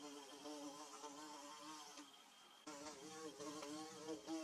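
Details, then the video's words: A low, humming drone rises from bees at work on their nest, with wavering tones that falter and dip midway before resuming more strongly. "Bee Buzzing"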